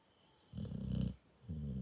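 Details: Cane Corso dog snoring indoors: a deep, rattling rumble of about half a second, a short pause, then another low snore beginning.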